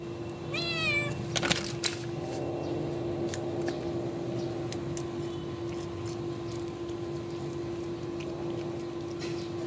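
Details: A rescued baby kitten, found injured in a park, being fed shrimp shell; one short wavering meow rises and falls near the start, followed by faint clicks and a steady low electrical hum.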